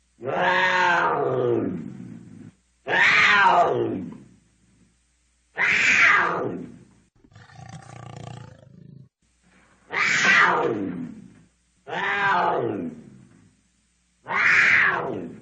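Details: Cougar repeating harsh harmonic yowls about every two seconds, each arching slightly then dropping in pitch, seven loud calls with one low, breathy rumble in between.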